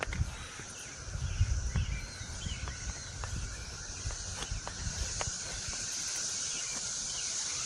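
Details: Cicadas in the trees give a steady, high-pitched droning hiss, unbroken throughout, on a morning after drizzle with the sun out, over footsteps, ticking clicks and low rumbling handling noise during a walk with puppies.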